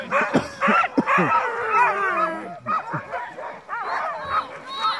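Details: Crossbred husky mixes on a night dogsled run in heavy snow, kept at a trot. Several dogs give overlapping excited yips, whines and short wavering howl-like cries that rise and fall almost without pause.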